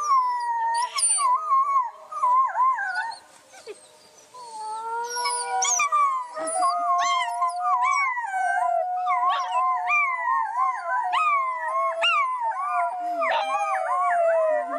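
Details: Wolf packs howling together: many overlapping voices wavering and sliding up and down in pitch, with short yips and bends mixed among the long howls, forming a dense, restless chorus with a brief lull near the start.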